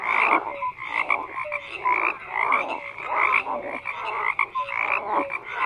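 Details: Frogs croaking in a dense chorus: many overlapping rasping croaks repeated about twice a second, with short tonal whistle-like notes scattered between, no other sounds standing out.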